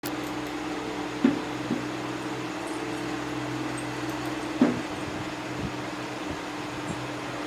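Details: Steady mechanical fan or air-conditioner hum fills a room, broken by two sharp knocks and a few softer thumps, with no animal voice.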